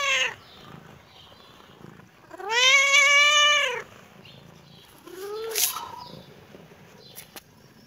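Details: Kitten reacting on seeing the camera: a brief mew, then a loud long wailing meow lasting over a second, strongly harmonic and arched, then a shorter rising meow, all in a quiet room.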